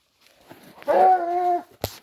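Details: Hunting dog chasing a wild boar: a single drawn-out tonal yelp lasting under a second, steady in pitch with rich harmonics, preceded by faint rustling and followed by a sharp click.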